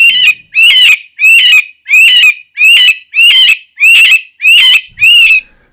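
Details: A cottontail rabbit's distress or alarm call: nine harsh, high, wavering screams, about one every two-thirds of a second, like a crying child. No other sounds are heard.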